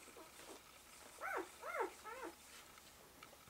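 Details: A one-day-old Malamute/Husky pup with mother Eclipse utters three quick arched squeals in a row, each rising then dropping in pitch, with faint shuffling squeaks before and after.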